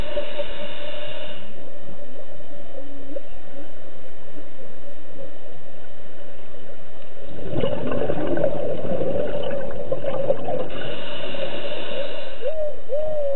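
Whale song: drawn-out moaning tones with short upward sweeps, over a steady watery rush.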